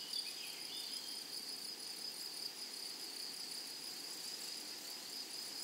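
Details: Grasshoppers in a flowery meadow sing a steady, high, shrill buzz with a fainter, even higher tone above it, unbroken through the whole stretch, over a soft background hiss.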